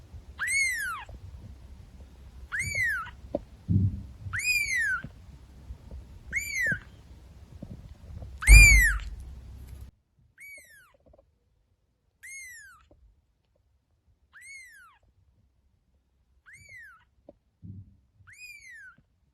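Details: Cats and kittens playing around a house; about ten high, arched meows, each rising then falling, repeated roughly every two seconds, with soft thumps and knocks between them, louder bumping in the first half.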